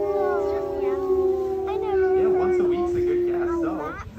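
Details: ['Steady, level wolf howl running almost the whole time, joined midway by wavering, yipping voices that bend up and down. The howl tails off and drops at the close.']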